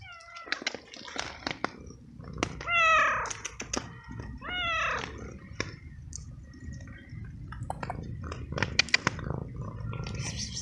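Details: Wet young feral cat on a rainy night, hungry and waiting for food, repeating short descending meows, two strong ones close together, with scattered rain drips, clicks and rustling around.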